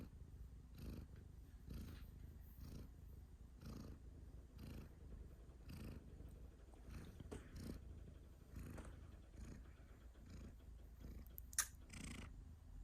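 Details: Domestic cat purring indoors, with a cough heard while it purrs: a steady low rumbling purr pulsing in regular breaths about once a second, with a sharp brief click near the end.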